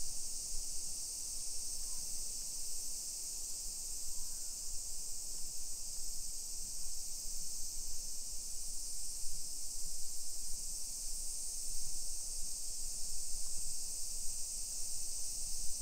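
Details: Cicadas on a summer afternoon, 28 July 2021, in residential Nisshin, about 20 km from downtown Nagoya, Japan; a constant shrill high buzz persists the whole time, layered over steady low footstep and traffic rumble.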